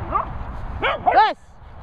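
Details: Excitable dogs out at Bumble Hole, one shouting at another: two or three short, sharp barks in quick succession, the last loudest with a yelping edge, then quiet outdoor background.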